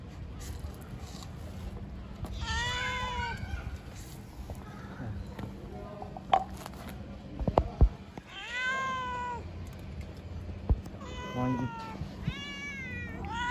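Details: Homeless street cats begging to be fed give three long wavering meows that rise and then fall, spaced several seconds apart, over a low steady hum with clattering and a few sharp clicks.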